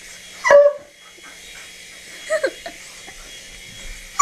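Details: Dog barking at a helicopter, giving two short, high, yelping barks about two seconds apart, with quiet gaps between them and a soft hum in the background.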